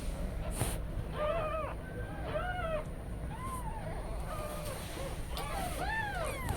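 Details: Tiny newborn kittens left alone while mother Kujma has stepped out call for her; scattered arched mews of varying pitch, some overlapping, against a low rumbling background and brief clicks.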